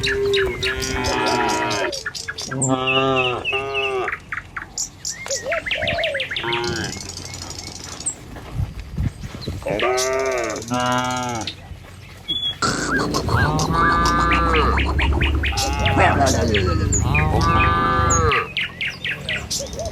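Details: Dozens of tame cattle walking along a village road to the pen in the morning: repeated deep, harmonic moos from several animals, some overlapping, with occasional bird chirps and rustling footsteps.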